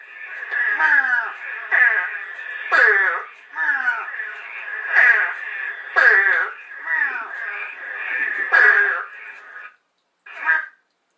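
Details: Repeated crow-like calls of an Eastern Spadefoot, scarce on Long Island: harsh, buzzy, falling notes roughly once a second, about ten in total, set against a constant high hum of other calling frogs, ending abruptly.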